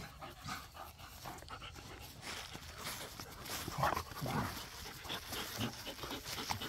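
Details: Pit bulls and a Malinois playing in a back yard, panting hard with a brief whimper and scattered scuffling noises, a short yelp-like rise near the middle, busy rough play heard throughout.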